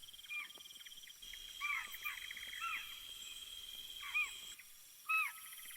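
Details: Distant chital, spotted deer, in Yala, Sri Lanka, give sharp, high, barking alarm calls, spaced irregularly, which signal that another leopard is wandering nearby.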